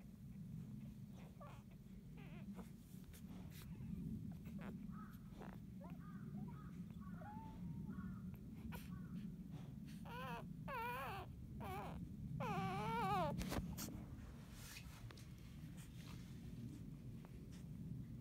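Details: Two-day-old field-type Labrador Retriever puppy napping in the evening sun after nursing, giving a series of thin, wavering whimpers and squeals that rise and fall, louder near the middle, over a low steady background hum.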